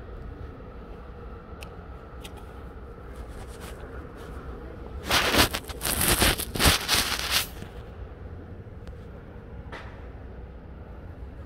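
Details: Outdoor background hum with a loud burst of crackling, scuffing noise in the middle and no clear animal calls.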